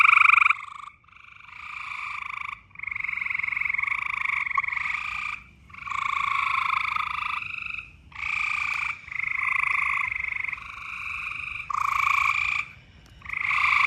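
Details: Frog chorus during mating season: a series of loud, harsh pulsed trills of one to two seconds each, separated by short pauses, several frogs overlapping.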